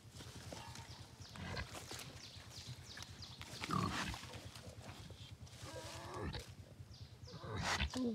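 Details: Wild boar piglet giving short grunts and a few thin, rising squeals scattered through the recording, mixed with human voices talking nearby and a steady low background hum.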